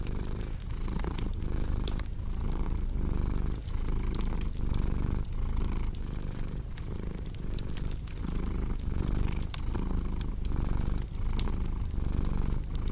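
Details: Continuous low, throbbing cat purr in regular breathing cycles under a crackling fireplace, with snapping wood pops scattered throughout.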